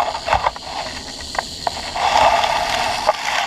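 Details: Rattlesnake at a snake den, morning of 4 May 2015, during a spring walk; a dry, steady hissing buzz runs throughout, swelling slightly toward the end, with faint outdoor background noise.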